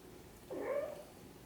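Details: Mother cat tending her kittens gives a single soft, slightly rising then falling mew lasting about half a second, in a quiet indoor setting.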